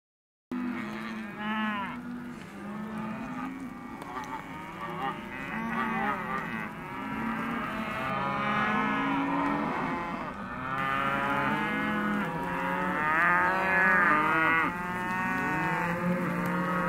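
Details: Hereford and white-faced calves in a sale lot, a dense chorus of many overlapping moos and bawls, rising and falling harmonic calls almost continuous across the clip.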